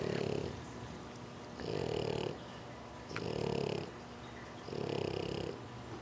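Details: A male French Bulldog snores in slow, rumbling breaths, about one every second and a half, during an afternoon nap in his favourite napping position.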